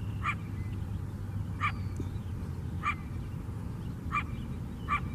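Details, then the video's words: Coyote in Chicago, on the lakeside of the city's south side, giving five short, sharp barks about every 1.2 seconds over a steady low rumble of city and lakeside noise. "Chicago Coyote Barking"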